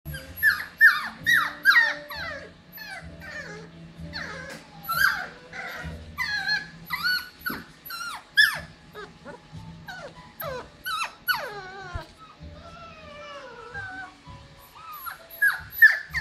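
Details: Litter of seven 7-week-old Cockapoo puppies, mother a show cocker spaniel and father a miniature poodle, giving many short, high, downward-sliding yelps and whimpers in quick irregular bursts, several pups overlapping, with a faint low hum beneath.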